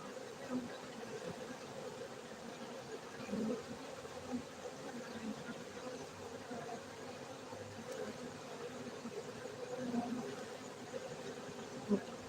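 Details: Low, continuous droning of a crowd of honey bees at a beekeeping site in Gayo, Bener Meriah, Aceh, Indonesia, steady for the whole stretch, with small soft knocks now and then and a brief sharp tick near the end.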